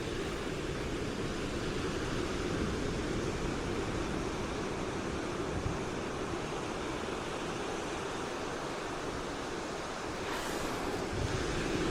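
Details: A continuous roar like surf or strong wind fills the recording. No animal voice stands out above it.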